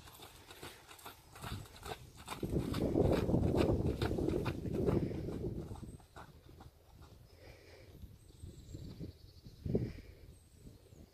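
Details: Imported Friesian horse Sierd, kept in North America, walking with rhythmic clip-clop hoof strikes, about four per second, swelling into a louder stretch of thudding steps midway, with light bird chirps overhead near the end.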